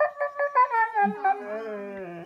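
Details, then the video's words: Two pet Siberian Huskies indoors, coaxed by their owner into singing: a run of short wavering yodel-like notes gives way to a long, slowly falling howl, with a second lower voice gliding downward beneath it. "Siberian Husky Singing Lessons"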